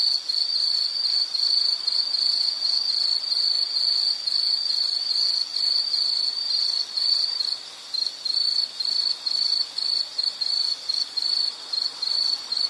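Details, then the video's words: Insect song in a calming nature recording: a high ringing trill, nearly continuous at first, then breaking into distinct short bursts roughly twice a second in the second half. "Nature Sound of nature sounds scenery L · insect"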